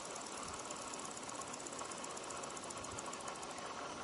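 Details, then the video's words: Adult male bow-winged grasshoppers (Chorthippus latipennis) chirp to one another among fallen leaves in Japan, late October 2011, at 25 degrees, rubbing forewing with hindleg; a dense, steady rasping buzz with fine rapid pulses runs unbroken throughout. "Bow-winged Grasshopper Stridulation ヒロバネヒナバッタ♂の鳴き声♪と跳躍"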